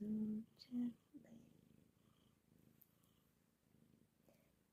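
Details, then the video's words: Purring of a Bombay cat snuggled on a small cat mat in an office: soft, low, evenly pulsing rumble carrying on after a woman's brief gentle sing-song words at the start, then fading quieter. "kitty cat office snuggle purr continues"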